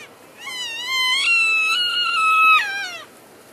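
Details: A close, loud elk contact call, recorded February 3, 2012, as the herd shifts between grazing areas: a long, high, whistled squeal lasting about two and a half seconds, rising then holding and wavering before dropping away, with strong harmonics.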